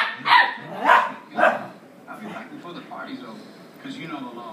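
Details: A four-year-old female dog and an eight-week-old puppy play fighting: three quick, loud barks at the start, then quieter yips fading under low indistinct talking.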